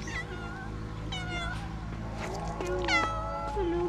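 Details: Female tabby cat in Istanbul meowing for affection: short harmonic meows, a bending one at the start, two more mid-clip, then a long rising-and-falling meow at the end, over a low steady indoor hum.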